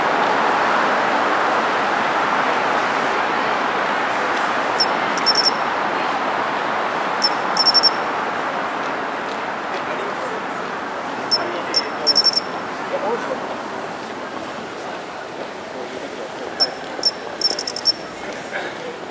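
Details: Japanese pine cricket singing from roadside shrubbery in early autumn; short bright metallic chirps, high and clear, come in small clusters every few seconds over a constant wash of passing traffic.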